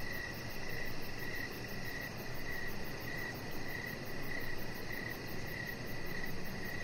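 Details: Outdoor evening chorus of crickets beside a deck with decoration lights and a resting chihuahua puppy; crisp repeated chirps at an even pace of about two per second, backed by steady low background noise.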